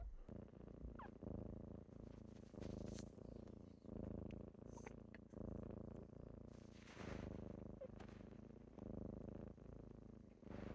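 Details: Kittens waking their owner in the morning, purring in a steady low rumble that swells and fades with each breath, about every 0.8 seconds, with occasional light clicks and rustling nearby.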